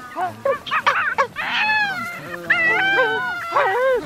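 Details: Geladas feeding around people in an open field in Simien Mountains National Park, Ethiopia, give a run of voiced, wavering calls with rising and falling pitch, some overlapping.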